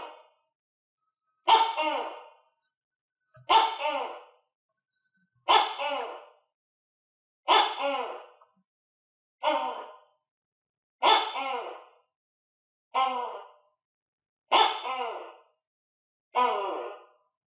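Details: A captive tokay gecko, kept with other geckos and clumsily eating crickets, gives loud, harsh, bark-like croaks repeated roughly every two seconds.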